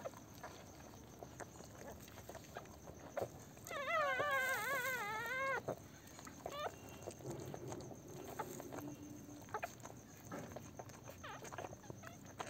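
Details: Pomeranian puppies, newborn and on their first day after birth at home, give a long wavering whine lasting nearly two seconds. A brief squeak and scattered faint whimpers follow, with low rustling and tapping noises behind.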